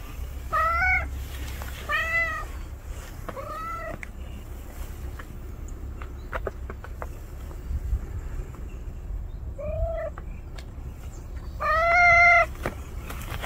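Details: Indoors, where house cat Juhwang-i and stray cat Noranggi have finally moved in together, five short plaintive meows sound, three in quick succession, then a pause of several seconds before two more, with light tapping and rustling between.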